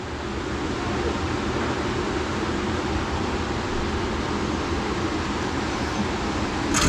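A steady mechanical whir, like a fan or clipper motor, fills the clip with no animal voice.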